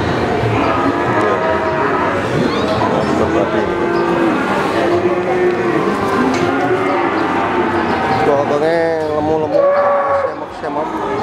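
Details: Cattle at the Pasar Sapi Pon livestock market in Ambarawa, Semarang, before 2021: several short, wavering moos rise out of a constant din of crowd chatter and market noise, with the clearest lowing near the end.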